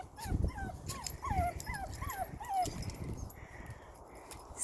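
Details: Nine-week-old puppies on their first time outside: a quick run of about seven high, thin whimpers, each bending up then down, coming every half second, with soft rustling and a woman's voice nearby.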